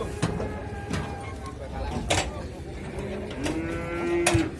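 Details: Large cattle weighing about one ton, at an Indonesian livestock market, being loaded onto a truck: one drawn-out low moo near the end, amid clattering, knocks and crowd noise.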